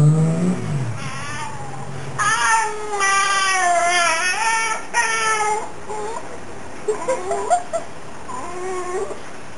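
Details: Lassie, an aging Fox Terrier cross female of nine or ten, makes a run of yodelling, bending whine-howls in short bursts with pauses. She is answering her owner's questions, and engine rumble hums beneath.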